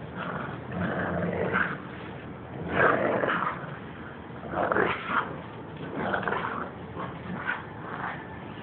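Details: Pit bull and toy fox terrier in a tug-of-war game, growling; rough, low growls rise in loud surges every second or two, separated by quieter rumbling.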